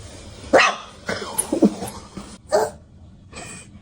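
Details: Stray puppy on a freezing night, found late in a silent underground garage, giving short high whimpering yelps in a few separate bursts about a second apart, with quiet background hum.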